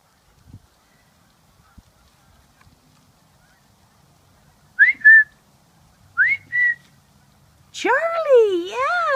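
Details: Puppies at 7.5 weeks old playing and following their mother; two short rising and falling squeaky whines, then a longer wavering whine that swoops up and down several times.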